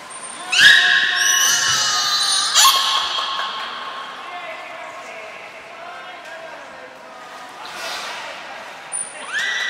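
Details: Belugas Nana, Mirai and Niko in a training session at Port of Nagoya Public Aquarium on 22 May 2022: harmonic, gliding whistled tones, some rising and falling, a thin steady high trainer-like whistle, echoing hall ambience.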